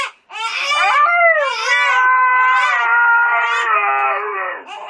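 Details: Husky howling indoors in response to a crying baby: a long, steady, drawn-out tone with slight bends in pitch, overlapped by the baby's loud bursts of crying in a small room.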